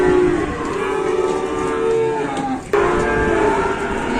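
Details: Market cattle destined for slaughter give steady, sustained low moos, one long call broken by a short pause and then resuming, over background chatter and handling noise.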